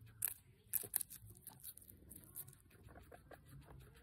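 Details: Pancake the guinea pig munching on capsicum: loud crunchy bites near the start, then softer, quicker crackling chews continuing in a small indoor room.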